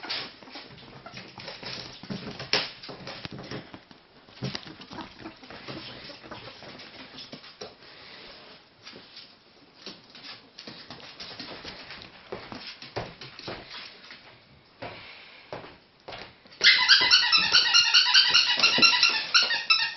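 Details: Three pet ferrets jumping about indoors at playtime: long stretch of scrabbling, patter and thumps, then loud, rapid, harmonic squeaks pulsing several times a second over the final three seconds.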